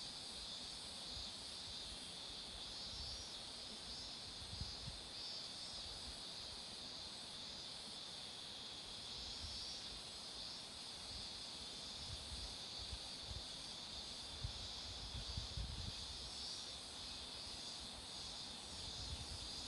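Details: Long stretch of cicada song along a road with marigolds flowering: constant, high, hissing buzz that barely varies. Scattered faint low rumbles sit in the background.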